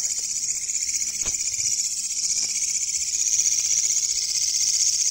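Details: A katydid, found while hunting insects at night, gives a loud, shrill, continuous buzz, a dense high rasp of fast pulses running together, steady throughout with a few faint clicks beneath; Katydid.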